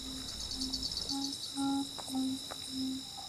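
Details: Carolina ground crickets, bush katydids and tree crickets in late August blend into a continuous, shimmering high-pitched trilling, while a musician plays along with short low instrument tones about every half second.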